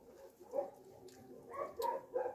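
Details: Shelter puppies in Russia make soft whimpers at first, then a burst of three or four louder, higher yips toward the end.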